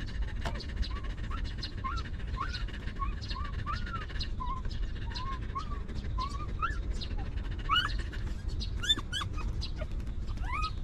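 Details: Stray dog family, a mother with her litter of puppies living rough and later given shelter and food; a steady run of short, high whimpers rising and falling in pitch, some sliding sharply upward near the end, over constant low background rumble.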